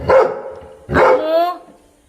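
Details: Labrador Retriever barking twice in a quiet setting: a short, sharp first bark, then a louder second bark that draws out into a longer, falling, whine-like tone lasting about half a second.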